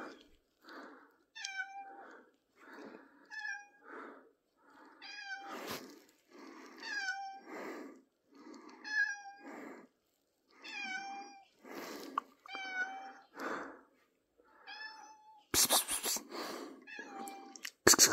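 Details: Pippin, a pet cat, meows repeatedly on 3rd April 2024: a long series of short, bright, slightly descending meows roughly every second, interleaved with soft breathy sounds, and a burst of loud noise near the end.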